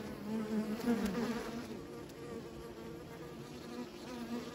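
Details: Bees buzzing in a steady low drone, several overlapping hums wavering slightly in pitch, louder in the first second and a half and then settling to an even murmur.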